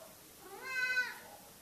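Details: Domestic cat hidden under a cover, a meowing lump, gives one clear meow lasting about half a second. It is harmonic, rises then falls, and ends in a softer tail against a quiet indoor background.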